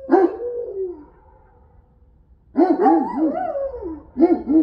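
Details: Central Asian Shepherds enjoying snow in Illinois. Wavering, warbling howl-like vocalizations in bouts, pitch undulating up and down, with a pause of over a second between bouts, over low background rumble.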